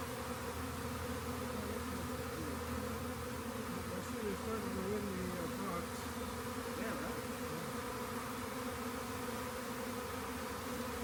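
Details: Buzzing mass of swarming honey bees, located at a rain gauge and gathered into a box, producing a continuous wavering hum, with faint speech-like sounds partway through.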